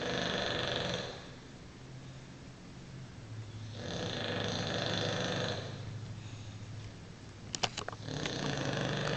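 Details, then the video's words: English Bulldog named Diesel snoring indoors: rough, rasping breaths in long drawn-out bursts of about two seconds, separated by quieter intakes, with a few sharp clicks near the end. "English Bulldog Snoring"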